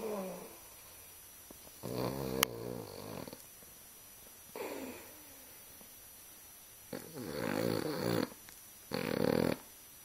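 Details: A Boston Terrier sleeping with one eye open snores in rough, rasping bursts, each breath a rattling, low-pitched snort.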